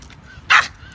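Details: An 11-month-old Pomeranian that barks at people approaching or pointing at it and ignores commands to stop, during a training session in Thailand; one short, sharp, high bark over quiet background hum.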